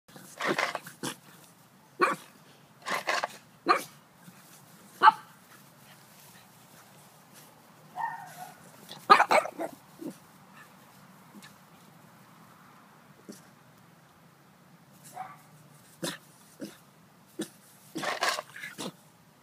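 A Boston Terrier gives sharp, broadband barks in irregular bursts, some doubled, with quiet gaps between.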